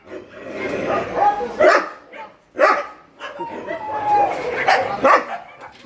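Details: Shelter dogs at night feeding time: sharp, loud barks burst out irregularly, about one every two to three seconds, over a continuous murmur of softer sound with thin tonal whine-like lines.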